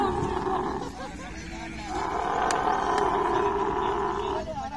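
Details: A camel mating, with a sustained throaty gurgle that dips in loudness and then swells into a louder rattling roar before stopping.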